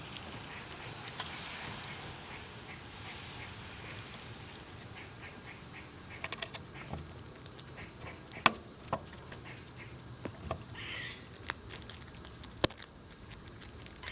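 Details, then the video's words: Squirrels feeding on nuts outside in winter cold and jostling one another. The first half is quiet. Loud, sharp cracking snaps of nut shells then follow, spaced a second or more apart, with faint high thin tones behind them. "Squirrels Eating And Making BIG Sounds! 12 Minutes of Eating Nuts and Pushing Each Other Around!"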